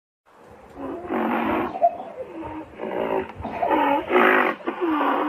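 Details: Rhinoceros calling with a run of moaning, wavering tonal calls in bursts of about a second, pitch bending up and down, several voices overlapping with gaps between bursts.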